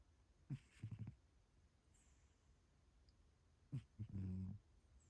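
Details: Sleeping cat snoring: soft, low snuffling snores in two short clusters about three seconds apart, the second ending in a longer rumbling breath, in an otherwise quiet setting.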